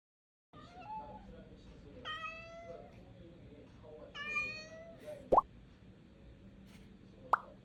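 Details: Cat giving two short high meows, clear and slightly falling, about two seconds apart, with soft lower vocal sounds before them and two sharp plopping knocks afterwards in a quiet room.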